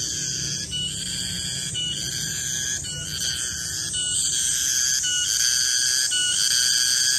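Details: Garengpung cicada calling in a garden at midday: a shrill, ringing high tone with stacked overtones, broken by brief dips about once a second, over a faint low rumble.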